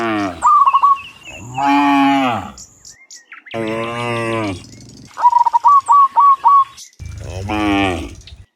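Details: Afternoon return of dozens of cows from the fields to the pen; three long, rich lowing moos with a wavering tone, interspersed with two bursts of rapid, evenly repeated bird chirps.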